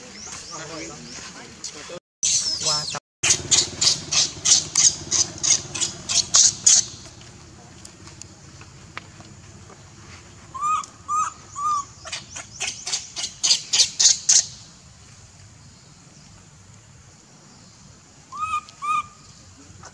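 A baby monkey begs its mother for milk with short arched squeals among fast, high chittering bursts.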